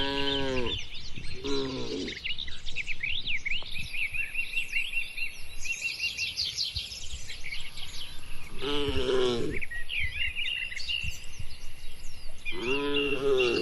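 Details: Tame cattle herded while grazing in a wide, quiet oil palm plantation in rural Indonesia give four drawn-out, harmonic moos, two close together at the start and two more later, over constant chirping birds and a steady high insect whine.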